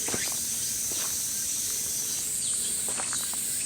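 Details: Cicadas give a steady, high-pitched drone without a break in peak-summer August heat on a hiking trail near Cheonan, South Korea; faint footsteps and scattered short chirps, possibly small birds, sit below it.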